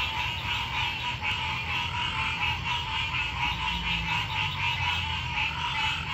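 A night chorus of frogs gives dense, pulsing trills and croaks that overlap without pause.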